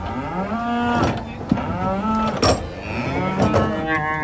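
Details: Cattle unloaded from a truck low in a run of overlapping harmonic moos, steady then wavering, broken by sharp clanks of metal.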